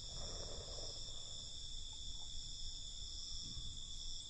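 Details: Crickets chirping at night in a dense, continuous high-pitched chorus, several steady shrill bands layered together with no pauses, over a low rumble of background noise.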